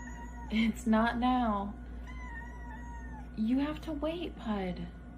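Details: Domestic cat calling for food, meowing with drawn-out, wavering mid-pitched cries in two bursts separated by a pause, over a steady background hum; a person speaks briefly.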